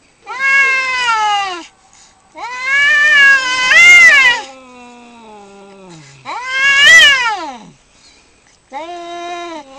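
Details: Two male cats fighting for territory outside a home, producing loud tense yowls in bursts of one to two seconds, each rising then dropping, one trailing into a low descending moan.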